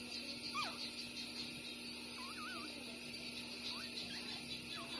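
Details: Bob and Massy, six-day-old littermate street puppies, breastfeeding. Wobbly, warbling squeals wave up and down, with a quick descending squeak early and short rising whines toward the end, over low constant hum.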